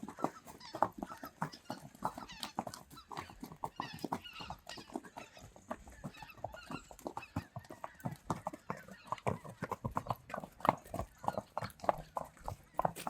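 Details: Friesian horses let out to pasture: a steady run of dense hoof thuds and clatter throughout, with no clear whinny, as the herd moves across the field.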